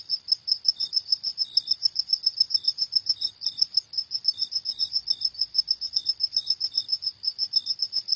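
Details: Cricket chirping at night: rapid, steady high-pitched pulses repeated several times a second, with a fainter lower second chirp joining now and then; no other clear sounds.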